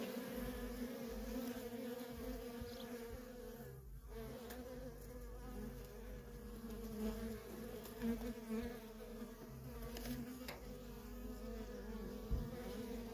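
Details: Worker honey bees in nonstop traffic at a feral colony: a dense, continuous hum of many wings with a low droning core and a steady overtone band, brief dips where the swarm noise thins, no other clear sounds.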